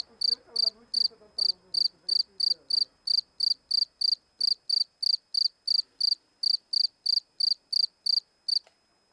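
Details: Cricket giving an unbroken series of sharp, high-pitched chirps, roughly three each second, while a person speaks quietly during the first few seconds before the chirping continues alone.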